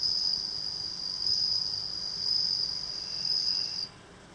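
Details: Bell cricket kept by a house entrance in rural Japan, raised from a nymph received at June rice planting; an unbroken high, bell-like trill with gentle surges in loudness, stopping cleanly near the end.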